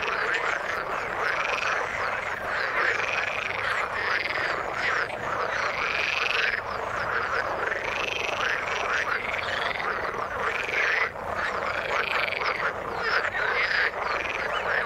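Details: Frogs in water croak in a dense, steady chorus of rattling, pulsed calls overlapping without pause.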